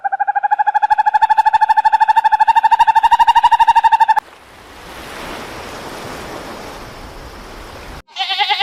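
A frog gives a rapid, steady run of nasal, pulsed croaks lasting about four seconds.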